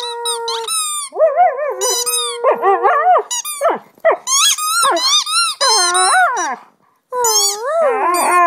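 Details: Delta, a pet Husky indoors, howls and sings along as the owner makes sounds to encourage her: squeaky, wavering high whines and yodel-like howls in quick bursts with pitch bends, plus steadier lower tones alongside.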